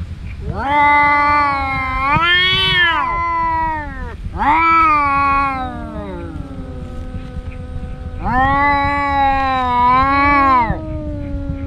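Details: Two brother cats that fight every day trade long, wavering yowls that swell and fade in drawn-out, moaning bouts.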